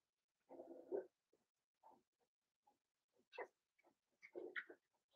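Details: Blenheim Cavalier King Charles Spaniel puppies Roman and Blue, six weeks old, in an indoor puppy pen overnight: soft low grunts, snuffles and brief whimpers come in quick irregular bursts, with a couple of higher squeaky whines.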